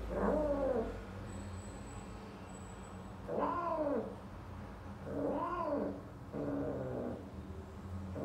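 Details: Minuet British Shorthair cat mating with a female, yowling: four drawn-out, arching moans that rise and fall in pitch, each lasting about a second and spaced a couple of seconds apart, over a steady low hum.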